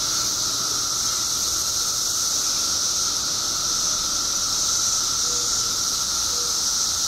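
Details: Periodical cicadas by the billions in Illinois, up after 17 years underground, fill the air with an even, wall-like buzzing drone; two brief faint tones appear near the end.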